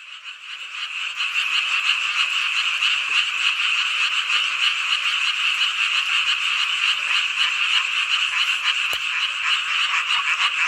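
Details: Summer-night chorus of many frogs in Hongcheon, Gangwon Province, South Korea: a dense, continuous wall of rapid pulsing croaks that fades in over the first second, then holds steady and loud, with a sharp click near the nine-second mark.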